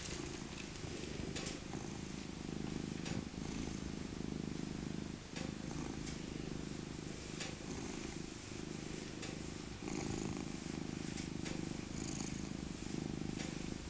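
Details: Elderly tabby cat Maca, once a rescued abandoned kitten and born in 2000, purring during a cuddle; a strong low throbbing rumble rising and falling in long breath phases, with light fur rustling.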